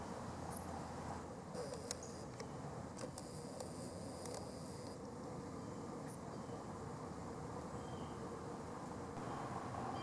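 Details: A wild chipmunk, recorded on August 5, 2023, gives two sharp, very high chirps several seconds apart over a steady low hum.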